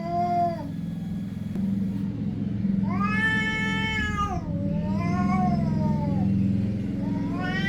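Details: Cats giving several meows over a continuous low hum. A short meow opens, then comes a long wavering meow lasting about one and a half seconds, a falling meow right after it, and another meow starting at the end.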